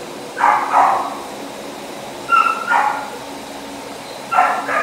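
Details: Male husky boxer mix barking in three spaced pairs of short mid-pitched woofs, the middle pair with a higher whiny onset, quiet room background between them.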